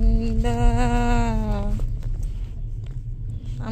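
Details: A steady hummed human tone with wavering pitch lasts under two seconds, then gives way to quiet indoor room noise with a few soft knocks.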